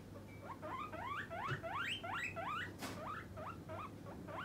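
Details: Pet guinea pig demanding its snack when hungry: quick, piercing wheeks that rise and hook upward, tumbling out about three a second, one brief sharp knock in the middle, low hum underneath.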